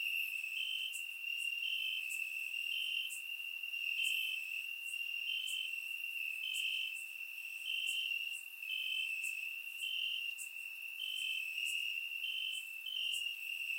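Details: Crickets calling from grass on a warm summer night, Bulgaria, surround microphone: dense, steady high-pitched trilling with rhythmic brighter chirps repeating close to once per second and faint overtone ticks above, no other sounds.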